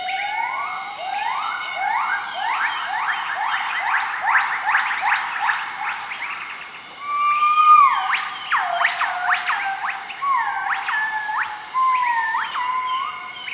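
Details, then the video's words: Group of southern white-cheeked gibbons duetting at morning in Nakai-Nam Theun National Protected Area, Laos, 20 March 2014; loud rapid series of sharply rising notes accelerating into a climax, then twisting up-down hoots, steady forest hum behind. "Gibbon duet call"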